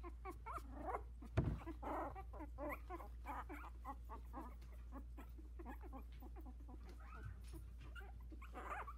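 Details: Four Havanese puppies, 16 days old, in a whelping box as they begin walking, with dense overlapping high squeaks and whimpers coming several times per second throughout, with a steady low hum underneath.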